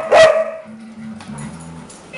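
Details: A dog gives one loud, sharp bark, then low murmuring sounds continue while a person talks quietly.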